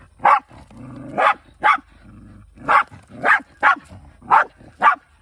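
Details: Rural Shiba Inu on the hunt, eight urgent barks in about five seconds, uneven spacing, interleaved with a low, buzzy whine.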